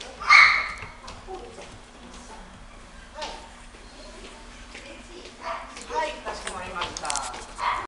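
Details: Male smooth-coated Chihuahua giving a sharp high yip at the start, then scattered short whimpering yelps and soft squeaky calls later, with human voices and handling noises in an indoor setting.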